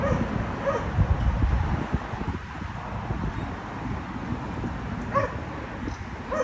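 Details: Dogs barking at a condominium, a noise that disturbs the neighbours and happens three times every day; a few distant, faint barks spaced seconds apart over a steady low rumble of background noise.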